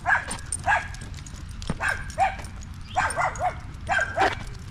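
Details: Male Staffordshire Bull Terriers chatting together on a park evening: clear, tonal barking yips in quick clusters, some doubled or tripled, each rising then dropping, over a low hum of outdoor background noise.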